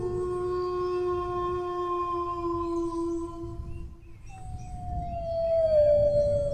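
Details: Domestic dog giving a drawn-out howl, one level tone held nearly four seconds before breaking off, followed by a fresh higher howl that glides slowly down in pitch; faint low-frequency rumble underneath.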